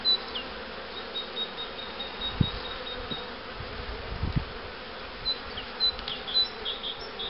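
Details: Honey bees humming continuously around hives prepared for queen rearing with Cupularve, beside a box of breeder queens; an even buzzing bed with a few dull knocks and faint high bird notes.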